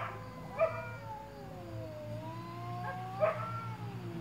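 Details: Shop cat Sammy faces down a stray cat to defend his territory. Drawn-out moaning yowls dip and rise in slow waves, with two brief sharp accents, over a constant low background hum.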